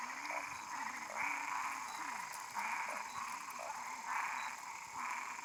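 A frog calls with harsh, nasal croaks in short bursts about once a second. A faint, steady background hum runs beneath the calls.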